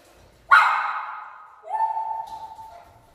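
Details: Miniature Schnauzer making noise to get its friends out to play: a sudden loud, high-pitched whining yelp that slides gradually downward, then a second steadier, quieter whine fading out, with little else in the background.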